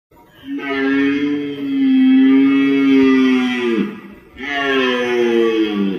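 A deer gives long, drawn-out nasal wails, each holding a steady pitch before dipping at the end.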